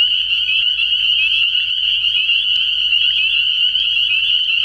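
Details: Frog pond at night in early spring, spring peepers massed in full chorus, their high shrill peeps overlapping into a continuous ringing drone that never pauses.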